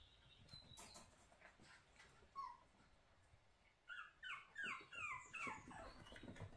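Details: Home-reared puppies indoors: after faint rustling and one short squeal, a burst of six or seven loud, pitched whining yelps follows in quick succession, each dropping in pitch, against a low background hum.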